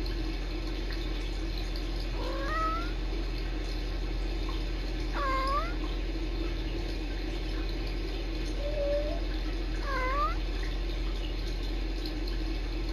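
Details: Sisko and Mila, rescue kittens filmed by a Tiny Kittens Society live cam, talk to each other in trills: four bright chirps that swoop down then up, plus one short flat mew, over a low background hum.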